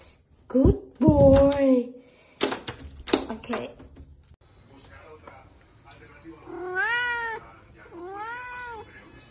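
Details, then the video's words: Siamese cat talking and playing indoors, with loud clicks and knocks at first, then two clear arched meows in the second half, each rising then falling, while a person talks nearby. "Siamese Cat Meowing | Siamese Cat Talking & Playing"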